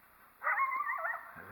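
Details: Coyote near a possible den area, reacting to a person nearby: a single short, wavering, strained bark-howl lasting under a second against a quiet background.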